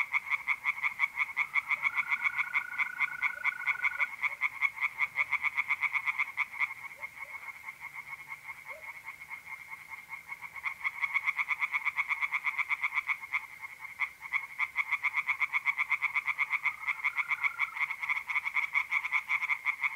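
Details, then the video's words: Tree frogs singing at night in a pond in north-east Italy in mid April: a dense chorus of rapid pulsed croaks, with a steady mole cricket trill running beneath in long stretches. "relaxing singing tree frogs in pond and trilling mole crickets by night"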